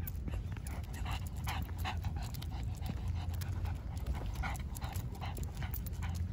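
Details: A nine-year-old male Shih Tzu pants in quick, breathy puffs over a steady low rumble, amid natural outdoor sounds and birdsong, with his footsteps also heard.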